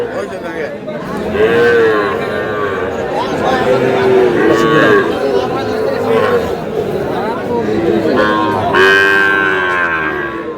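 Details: Sahiwal bull calves at a livestock market in Chuadanga, where a farmer buys them on 4 July. Several drawn-out, tonal moos rise and fall near 1.5, 4–6 and 9 seconds over steady crowd chatter and talking.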